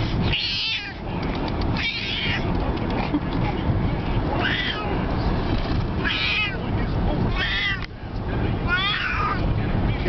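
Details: Frightened domestic cat on a car ride, giving about six loud, wavering meows spaced a second or two apart over constant engine and road noise, with a woman speaking soothingly nearby.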